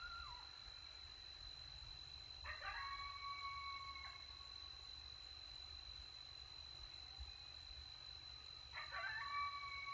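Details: In Texas, coyotes eating after a successful hunt give two short bursts of sharp yips that settle into thin, wavering howls, with a steady high hum throughout.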